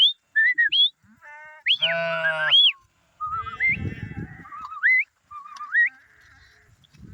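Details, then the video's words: Lamb on its way home, with one drawn-out, wavering bleat rich in harmonics near the middle. Short whistled rising and falling chirps sound before and after it, over patches of low rumbling noise. "The Sheep Is Going Home Now | Lamb Sound Effect"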